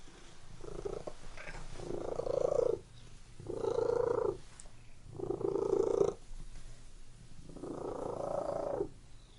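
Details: Domestic cat purring indoors in a room: a low, rumbling purr swelling and fading in four long breaths of roughly two seconds each, with short quiet gaps between them.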